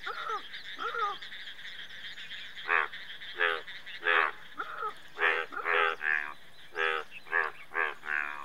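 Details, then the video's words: Croaking Indian bullfrog, a couple of softer croaks at first, then a quickening run of about ten loud, buzzy, harmonic croaks over the last six seconds against a constant high-pitched background drone. "Indian Bullfrog"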